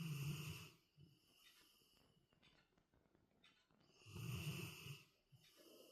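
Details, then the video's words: Labrador Retriever snoring: two long, deep rasping snores, one at the start and another after four seconds, separated by quieter breathing and soft rustling. "Wer schnarcht denn da?"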